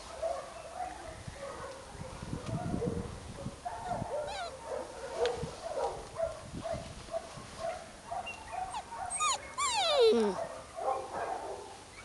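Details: Golden Retriever puppies at a breeding kennel in Spain, a chorus of high whimpers, yips and short squeaky whines overlapping, with a few rising whistled cries and scuffling in the background.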